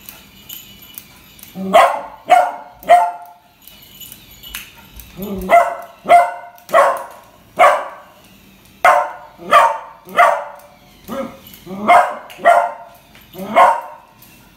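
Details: Beagle puppy Kuttus keeps barking at a puppy toy that frightens him: a steady run of brisk, high yaps, often in twos and threes, about one every second, with faint background sounds.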